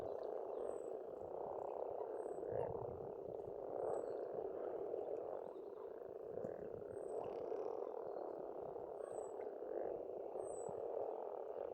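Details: Spring frog chorus at a pond in Estonia: a dense, continuous purring croak from many frogs, with thin high bird whistles repeating about every second and a half above it.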